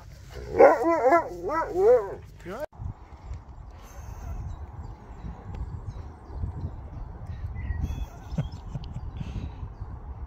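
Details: Talking Siberian Husky giving a quick run of wavering, rising-and-falling yodel-like sounds for about two seconds, then quiet background rumble and faint noise for the rest.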